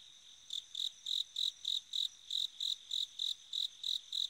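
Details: On an autumn night a bell cricket starts after half a second of quiet, then rings out about thirteen clear, high chiming pulses at an even pace, each short and bell-like, with no other sounds.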